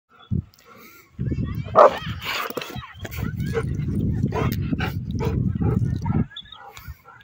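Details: Rottweiler; aggressive bark; aggression, threatening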